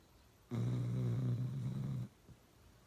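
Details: Uno the dog snoring really loud: one long, steady, low rumbling snore lasting about a second and a half, with a deep droning tone and faint rattling overtones, then quiet.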